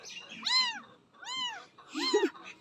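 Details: Tiny kitten from a nearby jungle, being coaxed to drink milk from a feeder bottle, lets out three drawn-out, arched meows about a second apart, with soft murmuring voices in the background.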